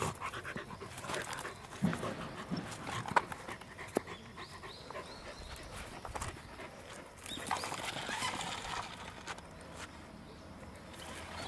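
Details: Steady huffing breaths from Roku the corgi during an autumn walk on 1 November 2021 among yellowing ginkgo trees, rough and airy, with a few sharp knocks and soft background outdoor noise.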